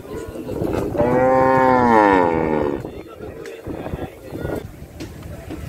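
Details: Cow gives a single long moo lasting almost two seconds, a rich harmonic voice that rises slightly and then falls, with faint background noise after it.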